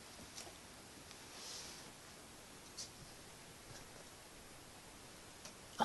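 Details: Quiet indoor hiss with a few faint soft taps and a louder knock at the end, with no animal voice.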